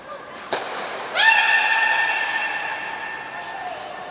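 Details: Captive belugas in training at the Port of Nagoya Public Aquarium, 2 August 2019, with the aquarium-born male Mirai turning seven. A sharp click and a short high whistle come first, then a long, steady, richly harmonic tonal call that slowly fades.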